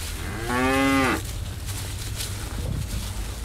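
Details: Bull eating elephant grass gives one strong, low moo lasting under a second, rich and slightly falling at its end, followed by steady rustling background noise and faint munching.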